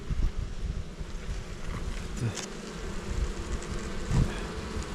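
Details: Kept honey bees at a Jirisan hive in Korea, worked by a beekeeper on a bad-weather day. A dense low hum fills the recording, pulsing slightly in loudness, with occasional soft knocks from handling.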